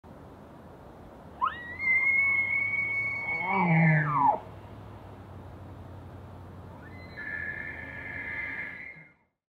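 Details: A bull elk bugles during the rut in the Canadian Rockies: a high whistle rises, holds, then breaks into low grunts, followed by a shorter second bugle.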